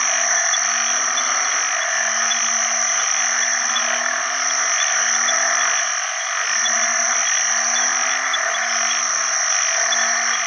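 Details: Several banded bullfrogs chorus for mates in rain-filled water early in the rainy season, with other frogs present; low, moaning, harmonic croaks overlap in rapid staggered series, under an unbroken, hissing, high insect and frog din.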